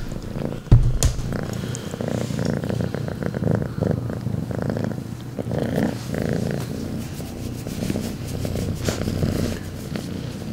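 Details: A cat named Rambo purring loudly, a steady low rumbling throb running through the whole recording, with a sharp click near the start and brief rustling bursts.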